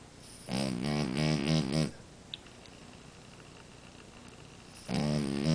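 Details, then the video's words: Snoring French Bulldog called Amora: a fluttering, pulsing snore of about one and a half seconds, a long quiet pause with a faint tick, then another rasping snore beginning. "Bulldog Francês Amora roncando!"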